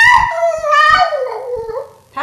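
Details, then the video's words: Female Boston Terrier indoors, pining for her absent owner, howling hysterically at the mention of his name: a drawn-out, pitiful, harmonic wail that slides downward from high to lower pitch, ending in a short fresh cry. "Boston Terrier Screeching for Patrick"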